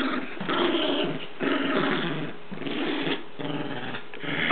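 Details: Rat terrier growling while playing with a toy indoors, a continuous rough, low rumbling growl in several long bursts with brief pauses between them, in a small room.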